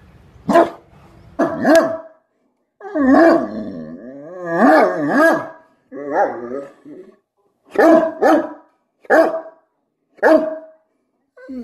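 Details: Great Dane barking and vocalizing at his owner; a talkative run of barks mixed with drawn-out, wavering howl-like moans, rising and falling, then more short barks at roughly one-second intervals.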